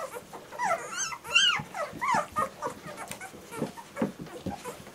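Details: German Shorthaired Pointer puppies giving a few drawn-out arching whines and squeals, then quieter scattered whimpers fading into background noise.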